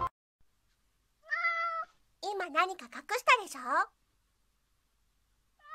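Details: Pet cat indoors, eager to get back a fluff ball its owner has hidden in her hand during a teasing game; one steady, tonal meow, then a run of wavering, sliding vocal sounds.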